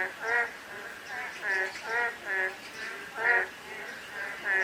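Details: On a drizzly day, frogs give throaty, rattling quacks in separate bursts roughly every second, some louder and nearer than others, with a soft wash of rain underneath.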